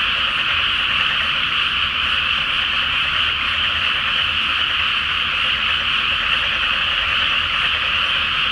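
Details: Many frogs calling together at night from a water-filled paddy field awaiting planting, full moon overhead in Japan; continuous massed croaking forms an even, shimmering drone without pauses, a soft low hum underneath.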